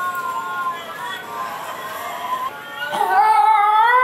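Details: Ginger, a pet basenji, yodels along with a recording of another basenji's yodel, indoors: drawn-out wavering tonal howls with rich overtones, sliding and breaking, then rising and swelling louder near the end, over background music.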